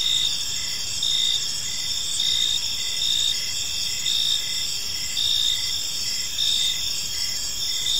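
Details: Park crickets at dusk: a shrill, layered chirping chorus with louder pulse groups returning about every second, steady and unbroken, over quiet low-pitched background rumble.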